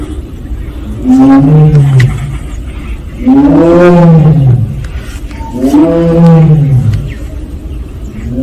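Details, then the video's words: Captive Siberian tiger at Seoul Grand Park, one of Penza's family, giving 'aung' calls. Three long, resonant moans roughly two seconds apart, each swelling and then dropping in pitch. Faint background hum. "펜자네 가족 아웅 총 모음."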